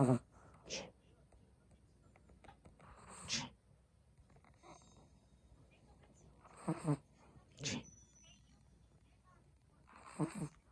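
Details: Snoring from a sleeping Chihuahua in a quiet room: short, breathy, wheezing snores in loose pairs, each pair roughly three seconds apart, some with a low rattling edge, with hush between breaths.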